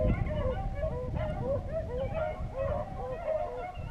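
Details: Short burst of hunting beagles in Vera, Virginia, giving arched, ringing bays roughly twice a second, overlapping one another, with a low background rumble, near the end of a six-hour rabbit chase.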